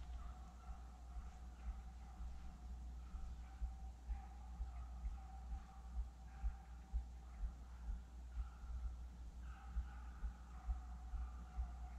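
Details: Low rumbling wind noise, rhythmic footsteps and a steady electronic hum, with no animal calls.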